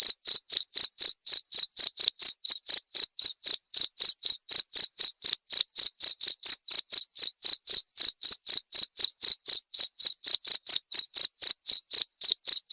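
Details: Cricket chirping in a clean recording meant as nightly tutoring material for white-rumped shamas: sharp, high, evenly spaced chirps of about four per second throughout, with no other sounds.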